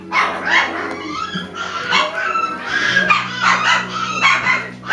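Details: Five-week-old Alaskan Klee Kai puppies whine and yip in overlapping high, wavering cries.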